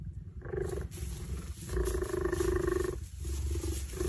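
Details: Cheetah (Acinonyx jubatus), meow-like call.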